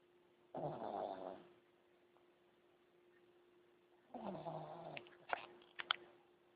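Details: A sleeping pug snoring: two rough, breathy snores, the first about a second long and the second longer, ending in a few snorting clicks, over a steady low electrical hum.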